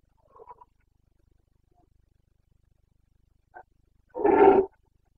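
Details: Carpathian red deer stag roaring in the rut, Bucovina mountains, late September 2022: faint soft grunts early, a short bark, then one loud rasping half-second bellow near the end against a silent backdrop.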